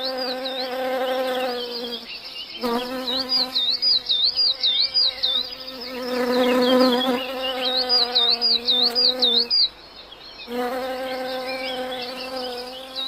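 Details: A bumblebee on marsh Labrador tea in Murmansk in summer hums with a deep, even buzz that cuts off briefly a few times and resumes; high, wavering twitters, probably a small bird, run faintly above.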